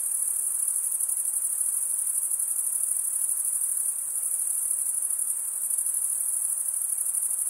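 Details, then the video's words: Crickets, males rubbing serrated wing veins together, keep up a ceaseless high, finely pulsing trill with a fast flutter of roughly two beats a second, steady and unaccompanied. "Most relaxing cricket sound for 8 hours"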